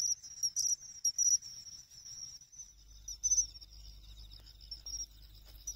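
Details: Pine cricket in August beside a pond in Ehime, Japan, giving thin, bright chirping notes in quick groups, with a faint low rumble of background noise beneath the insect's ringing song.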